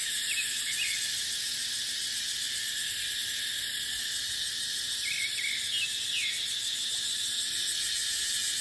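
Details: Continuous shrill buzzing of cicadas fills a dry dipterocarp forest in the dry season, a dense high wall of sound with scattered soft bird chirps at the start and again later.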